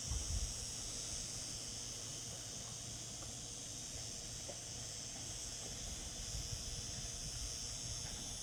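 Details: Summer cicada chorus: a continuous shrill, hissing buzz that stays even from start to finish, with a low background rumble beneath it.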